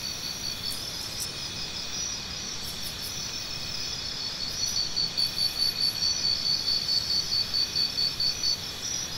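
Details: A shrill cricket chirp pulses in quick, even beats that grow louder in the second half. Other high insects drone steadily underneath.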